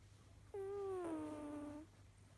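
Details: A pet cat named Kojiro snoring: one steady, whistle-like tone with rich overtones lasting about 1.3 seconds, sliding gently downward in pitch before stopping, over a faint low hum in a quiet room.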